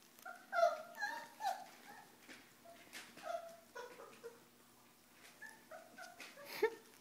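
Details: Four-week-old Pyrenean Mastiff puppies from Nikita de la Tierra Alta's litter at play, giving a run of short high whimpers and yips with harmonic tones, several overlapping, with quiet gaps between bursts.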